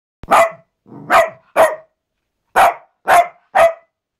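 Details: Benson, a pet Cavalier King Charles Spaniel, barks in six sharp, bright yaps spread over about four seconds, with uneven gaps between them and a soft low murmur before the second bark.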